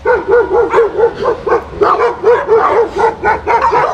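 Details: German Shepherd Major barking in the village: a fast, even series of clear, mid-pitched barks, roughly two per second, with overlapping louder yaps layered on top.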